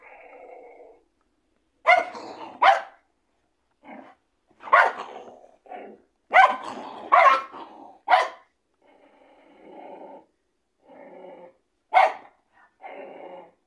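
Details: Two dogs, a Bully and a Chihuahua, facing off: sharp, high barks in quick bursts alternate with lower, rumbling growls and gaps of near silence, the yapping flaring up every second or two.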